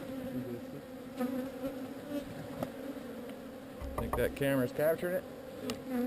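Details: Honey bees from a swarm moved away from an unwanted site produce a soft, steady droning buzz for the first few seconds before a man's speech takes over toward the end.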